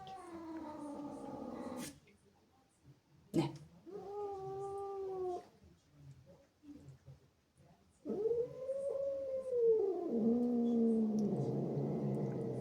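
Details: ['Zippy, a female house cat, angry and jealous after playful kittens sneak into her house, lets out long harmonic wailing yowls, one near the start, a shorter one mid-way, then a sustained drawn-out howl that bends and wavers over the last four seconds.']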